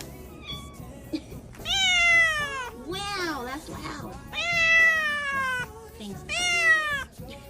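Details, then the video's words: Cat meowing four times in a row, long drawn-out calls that fall in pitch at the end, one lower and wavering, with faint voices and music underneath. "Funny Cats and Kittens Meowing"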